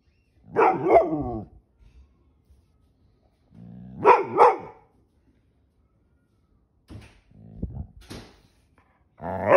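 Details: Annoyed pit bull Ranger, whose tail is being grabbed, gives three grumbling growl-barks a few seconds apart, each a rough rising-and-falling burst, with quiet pauses and a fourth starting at the end.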